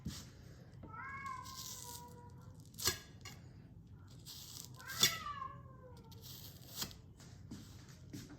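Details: Domestic cat giving two long, wavering meows that slide downward in pitch, separated by a quiet pause, with a few isolated knife taps on a cutting board in the background.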